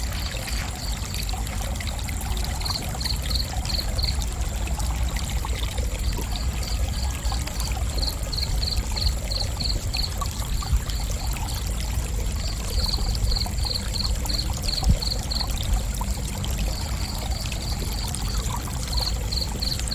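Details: Cricket chirping in high, evenly spaced pulses, grouped into runs of several seconds with short pauses between, set over a steady, louder rush of flowing water.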